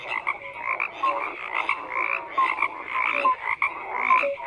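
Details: Chorus of croaking frogs with uneven bursts of rasping calls, roughly one a second, plus short bright chirps layered over a constant background of other callers.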